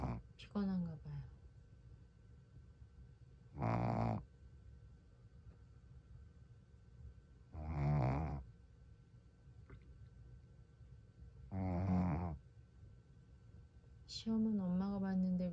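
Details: An exhausted Shih Tzu snores while sleeping, in slow, rasping bursts about every four seconds, with a person talking.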